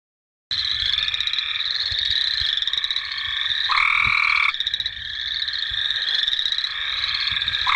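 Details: Cope's gray treefrogs calling in a wetland, a dense chorus of harsh, buzzy trills overlapping almost without pause; boreal chorus frogs and American toads also calling.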